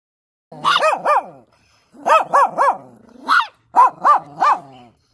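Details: German Shepherd barking in excitement while pestering puppies, deep harmonic barks in quick pairs and triplets, about a dozen in five seconds, with a faint growly undertone between bursts.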